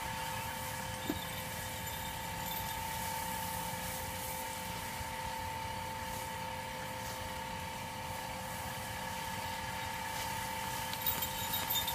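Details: Broad engine-like noise with steady tonal hums and a single short click.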